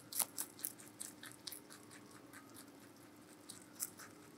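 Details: Vegetable-eating giant rabbit, Meonji, captured close up: a few loud, crisp crunches at the start, then a near-silent pause, then two more isolated bites, with a soft electrical hum underneath.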